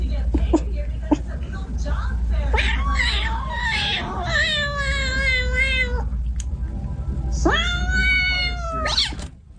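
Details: Domestic cat in a funny compilation letting out a long, wavering meow and then a second loud, drawn-out meow that rises and holds steady, over a constant low rumble and background noise.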